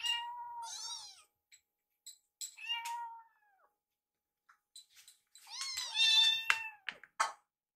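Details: Two rescued baby kittens indoors, sitting side by side staring at a microwave while waiting for food. High, thin meows: a drawn-out cry at the start, a few brief ones mid-way, then a dense burst of overlapping mews at the end.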